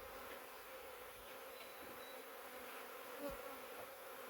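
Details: Honey bees from a huge swarm caught in a swarm trap, the swarm coming from a wild hive living out in the woods for three years; a soft, steady, even drone of many wings hums throughout with little change.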